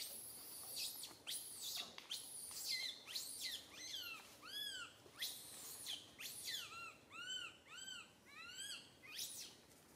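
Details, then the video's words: Infant monkey Santo crying loudly on a branch while mother Sara cannot look after him; a steady stream of high arched squeals, rising then falling, arrives in rapid rhythmic pulses about twice per second. "Little Monkey SANTO cries on the branch tree so loudly Mama monkey SARA can't take care of him"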